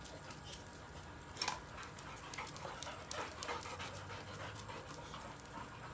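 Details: Rapid, rhythmic, breathy panting from Molly, a Boxer female in the first week of pregnancy, day 7, tiring easily after playing with other dogs; a louder puff near the midpoint stands out against a soft noisy background.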